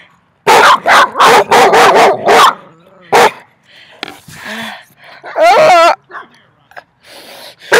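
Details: Three dogs bark loudly at the person in a quick, uneven burst of sharp, harsh barks.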